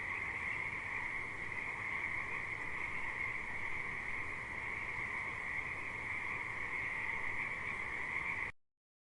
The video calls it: Frogs At River Sound Effect